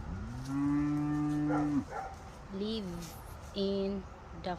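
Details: A healthy farm cow gives a long, deep, steady moo, then two shorter, higher calls; cows call like this to companions they are separated from.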